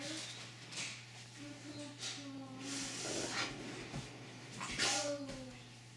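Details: Siberian Husky 'talking': short, low, tonal whining moans drawn out in several separate bursts, with a louder rising-and-falling whine near the end, amid rustling and clattering noises.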